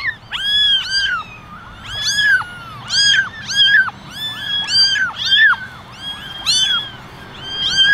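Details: Ten ginger kittens and one white kitten in a basket meow for attention; repeated high, arching mews from several kittens overlap, roughly one cluster every second, with faint background noise.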